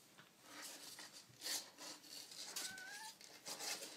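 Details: Tiny kitten giving one short, thin, tonal mew that slides slightly upward, set amid crackly rustling and scratching sounds in a small room.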